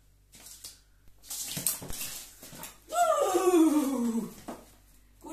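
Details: Filou, a Miniature Pinscher, reacting to a new broom he dislikes: a few faint short sounds, then a loud drawn-out whine, high and harmonic, sliding steadily downward over about one and a half seconds.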